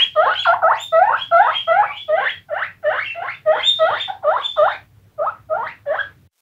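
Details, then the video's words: A group of guinea pigs gives loud, close, rising wheek squeaks in quick succession, about three every second, with one short break before a final few calls. "Guinea Pigs Squeaking"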